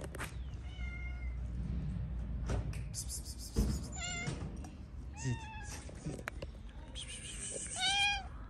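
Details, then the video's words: Stray street cats in Morocco meowing for food as a group gathers at feeding time; several short, scattered meows rise and fall across the stretch, with thumps, rustling and street background between calls. "The cats heard a cat meowing for food, so they all came."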